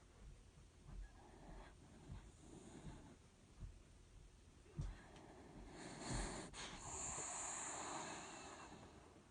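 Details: Snoring dachshund, its breathing rough and wheezy: small snorts early on, then a sharp snort and a drawn-out hissing, whistly breath that swells and fades over the last few seconds.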